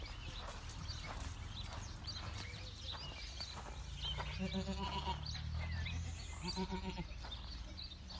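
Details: Boer goat kept on a farm uttering two short, quavering bleats about two seconds apart, with a low background hum and scattered knocks and chirps.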